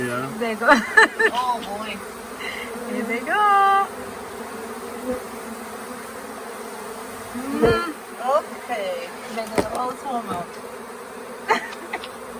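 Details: Honey bee swarm late in the year, settled for days at the Tamarind Tree Hotel and being coaxed into a nuc box: a steady, low droning hum, with short bursts of human speech and a few sharp taps.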